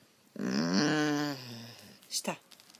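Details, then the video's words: Rescued German Shorthaired Pointer talking: a single drawn-out, voiced groaning vocalization, pitch rising slightly then holding steady for over a second, followed by a couple of brief sharp noises in an indoor room. "rescued German Shorthaired Pointer loves to talk"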